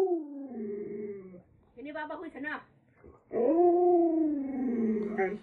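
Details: Lolo, a pet Alaskan Malamute, answers as its family talks about heading back to the city: drawn-out, smooth howl-like moans that fall in pitch, broken by a short burst of human speech in the middle.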